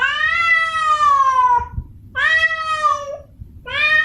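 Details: Female domestic cat in heat calls for a male to mate: long, drawn-out wailing meows about one and a half seconds each, slowly falling in pitch, rich and nasal, with short gaps and faint low background hum.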